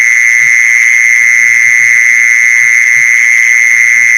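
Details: Lure call of a mole cricket: sustained shrill trill at constant pitch and loudness, with a higher faint overtone and irregular soft low taps underneath.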